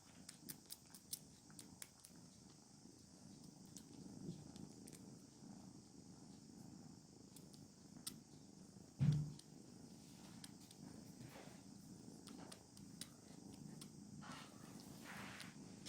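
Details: Kittens purring while feeling satisfied in their daily life; a steady low rumbling purr runs throughout, with scattered light clicks and a brief louder thump near the middle.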